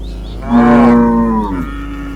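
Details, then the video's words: A single loud, sustained moo from cattle herded in a meadow, a steady low tone that swells, holds for about a second, then tails off. "The sound of cows, herding dozens of cows in the meadow"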